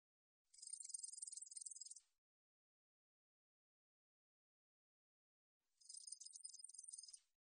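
A katydid sings in two high, dry buzzing bursts of rapid ticks, each lasting about a second and a half.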